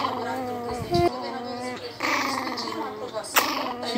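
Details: A 30-day-old, 300-gram Miniature Pinscher puppy gives thin, high-pitched growling yaps as a person talks nearby.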